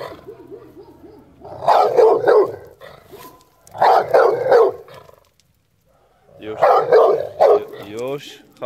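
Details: American Staffordshire Terrier during an attack, barking in three dense clusters of rapid harsh barks, with a human voice heard at the start and end.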